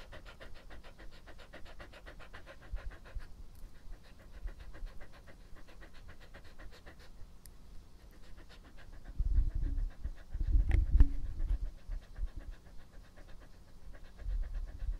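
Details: Epo-chan, a pet dog in its first close-up ASMR recording, pants in fast, even breaths for the first seconds, then soft low thumps and wet mouth sounds build around the middle before the panting resumes quietly.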